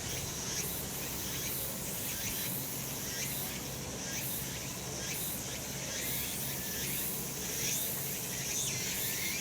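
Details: Cicadas calling on a summer mountain in the sun: a dense, shrill, buzzing chorus with pulsing swells roughly every second, many insects overlapping, no other clear sounds.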